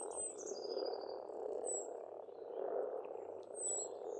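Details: Springtime frog chorus at an Estonian pond, an unbroken croaking hum, overlaid by long thin whistled bird notes and a few high chirps.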